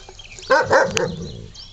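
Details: Five-week-old Labrador cross puppy, one of the litter of Lucy and Teddy, gives a sharp, high yip followed by a shorter second yelp, with faint bird chirps in the background.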